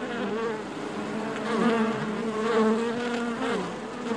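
Honey bees fill a hive with a steady, droning buzz that swells and fades in layered hums.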